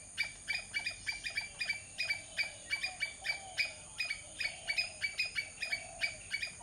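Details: Squirrel calling with sharp, dry chips repeated about three times a second in uneven bursts, over a faint steady hiss, with soft low wavering whistles underneath.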